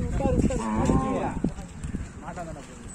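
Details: A newly acquired bull from Palampakkam lows in a short harmonic moo with wavering pitch near the middle, then a fainter second moo toward the end, over steady background noise.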